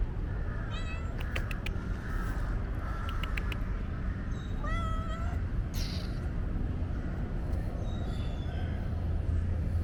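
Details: A shy stray street cat gives a few meows, one clear, drawn-out meow rising then falling in the middle. Sharp clicks and a steady low rumble of background noise run throughout.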